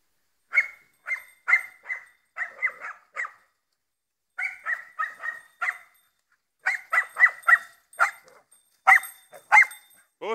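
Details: Croatian Sheepdog barking: rapid series of short, sharp barks in three bursts separated by brief pauses, with a faint whine at the very end.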